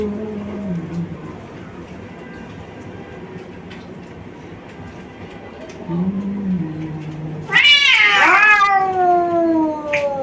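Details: Fighting male brother cats from Bangladesh: soft low growling moans at first over a quiet background, then an abrupt, loud, harsh screech that trails into a falling wail.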